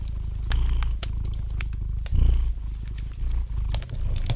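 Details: Gentle purring of a domestic cat near a fireplace with light crackling; low rumble pulsing in short breath cycles, a louder swell midway, with bright crackles from the burning wood.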